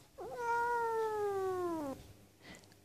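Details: A seal point Siamese cat, a chatty cat that enjoys communicating and seems hungry for kibble, gives a long, drawn-out meow that starts with a rise and slowly slides downward.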